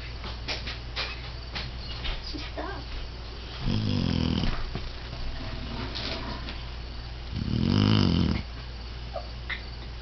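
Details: Pet English Setter snoring: two loud, low, rumbling snores near four and eight seconds, each under a second long, against a steady low hum and faint background clicks.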